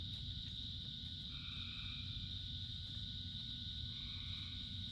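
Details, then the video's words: Frog chorus in rain, dominated by an unbroken high drone, with a pair of brief two-toned calls after one second and another near the four-second mark, all under a loud low rain wash. "Frogs in Rain 2 Hours of Frogs, Thousands of Frogs Singing"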